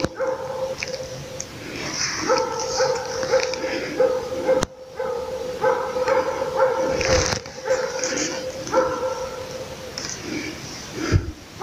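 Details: Moose-hunting Laika baying at its quarry: dense runs of rapid, ringing barks in long bouts with short pauses, a steady tonal yelping and occasional low thumps and rustles.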